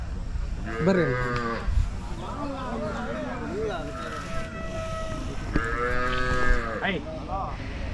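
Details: Hallikar cattle gathered at the Jodugatte cattle fair, with several harmonic moos, one early and a longer one later. Human voices and crowd noise run throughout.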